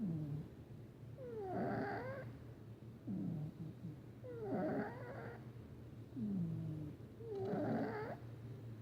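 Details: Male domestic cat snoring while asleep indoors; three loud, rasping snore bursts about every three seconds, each breath with a nasal, rattling tone that rises and falls, over a low steady hum.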